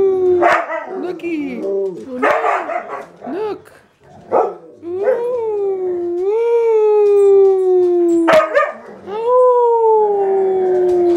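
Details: Huskies in a household singing on request: short yelps and woo-woo sounds build into long, steady howls that slowly fall in pitch, several voices layered near the end, a clap-like click around eight seconds.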